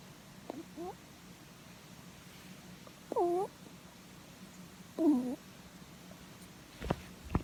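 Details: Pet rabbit sound asleep while its head is stroked, giving soft nasal 'puu' notes: three short, bending tonal squeaks spaced about two seconds apart, separated by quiet breathing pauses, with a couple of faint clicks at the end.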